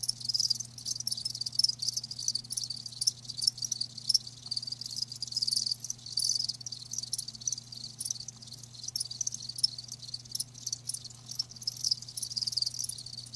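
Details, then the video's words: Live crickets keep up a steady, high, rasping trill with faint pulsing and occasional brighter chirps, over a soft low droning hum. "Live Crickets 60min "Natural Sound" ASMR"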